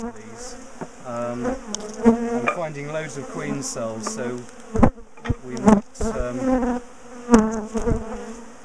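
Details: Large colony of bees in a top bar hive being dismantled, split and moved from a garden; dense droning hum of many bees with wavering pitch, broken by sharp knocks and clicks from hive handling.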